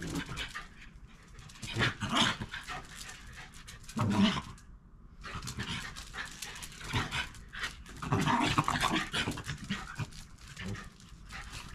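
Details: Shiba Inu dogs from a round-bodied parent-and-young family in a backyard, play fighting quietly by going for each other's soft cheeks rather than the neck; low rough growly bursts come in uneven spurts, mixed with rustling and scuffling.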